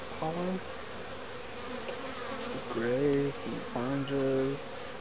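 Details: Western honey bees (Apis mellifera) buzz past in short, steady, low droning bursts over a soft hum, bringing pollen into a top-bar hive in midwinter, February, in Lynchburg, Virginia, on a 60°F day.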